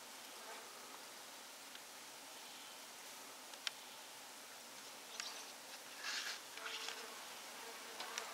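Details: Bees living inside a wall, busy patching a hole, give a faint steady buzz beneath broadband hiss, with scattered clicks and a few brief louder bursts toward the end.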